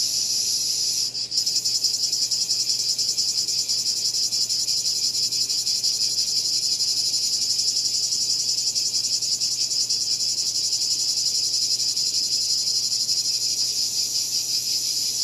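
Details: Loud, high cicada drone: a continuous sizzling buzz with fine rapid pulsing. A brief dip near the start is followed by a steady, unbroken chorus for the rest.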